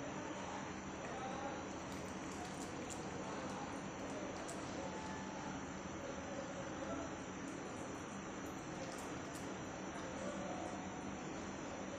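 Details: Quiet, even hiss and faint trickling indoors at night, with no animal voice.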